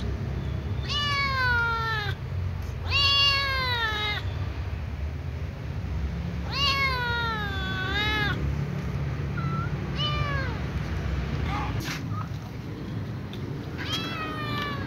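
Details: At night a ginger kitten begs for food with her family: a run of repeated drawn-out meows, each arching up then falling, spaced a second or two apart, with softer short mews and a low background rumble.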